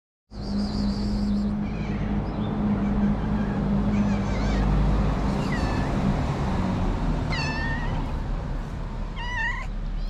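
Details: Snow White, a cute stray cat wanting love and food, gives a few short high meows late in the recording over a steady loud low hum and background noise.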